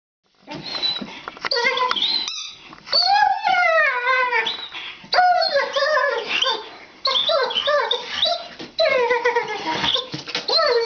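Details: Female foster Greyhound vocalizing while she plays indoors: a rapid run of high, sliding whines, yodels and squeaky howl-like calls in bursts, rising and falling in pitch, with short pauses between phrases.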